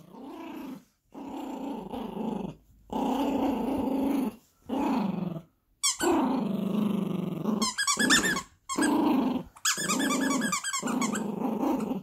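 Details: A Yorkshire Terrier puppy growls in low, rumbling bursts while playing tug-of-war over a squeaky monkey toy, with the toy's squeaks mixed in.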